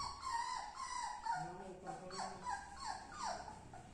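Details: Labrador Retriever puppy while eating, giving thin, whiny, tonal whimpers that slide up and down, almost continuous over a few seconds, with soft chewing-like clicks underneath.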